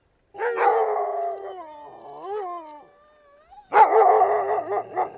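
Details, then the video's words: Dog howling: long wavering tones with a rich stack of harmonics, dipping and rising in the middle, a short pause, then a loud renewed howl with a rougher, bark-like onset. "Кучешки вой / Sounds. Dog. Dog howl"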